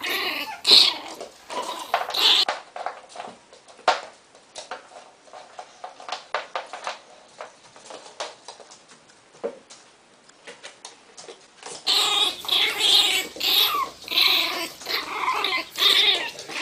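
A Miniature Pinscher snarls in shrill, harsh bursts, guarding its box.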